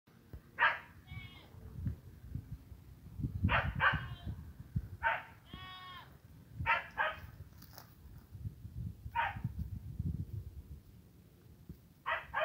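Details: Saanen goat being fed dried seaweed, bleating in loud, wavering bursts roughly every one to three seconds, some calls long with a quavering tremble, over low rustling and handling noise.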